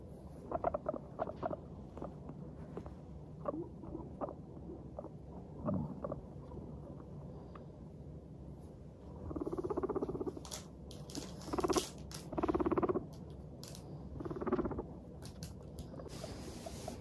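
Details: A group of happy pet guinea pigs, Teddy and Abyssinian, making their bouncy 'pupupu' chatter while walking. Scattered squeaky pips build into louder clustered bursts midway, mixed with scuffling footsteps and rustling.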